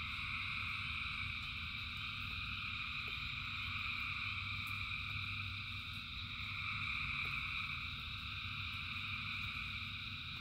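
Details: Thousands of frogs singing in rain form an unbroken chorus of overlapping high trills in several stacked layers, nearly constant in loudness, above a low continuous rain rumble.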